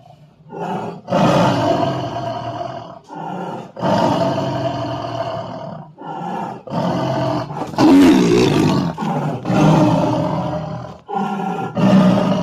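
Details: Bengal tiger. Deep, throaty roars from a Bengal tiger come in repeated bursts of one to two seconds, separated by brief pauses. Each roar is rough and full-bodied, with a strong low rumble beneath a harsher grating edge.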